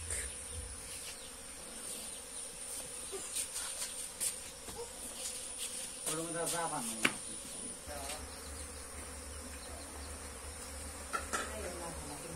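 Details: Honey bees nesting inside a water tank in a house, with an experienced person come to move them; a steady low insect hum and buzz runs throughout, with brief faint voices and scattered clicks.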